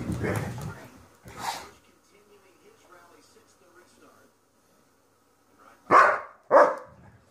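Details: An adult Weimaraner tells two playing Weimaraner puppies to calm down, and the puppies submit. After a couple of rough bursts and a quiet stretch, two sharp barks come close together near the end.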